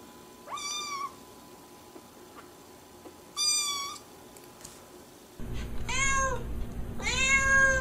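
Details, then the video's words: Domestic cats and kittens meowing in a compilation: two clear drawn-out meows about three seconds apart, then after an abrupt cut two louder, higher meows in a row against a rougher background hum. "Funny Cats and Kittens Meowing"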